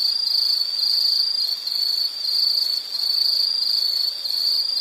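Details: An insect produces a continuous high-pitched trill that dips slightly in loudness about once a second. It is steady and buzzy, with nothing else audible.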